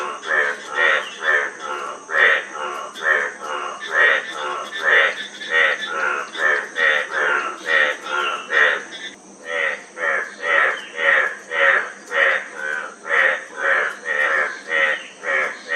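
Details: Frog chorus of many overlapping callers, rapid pulsed croaks repeating about twice per second, dense and continuous with a brief lull near the middle, steady high hum in the background.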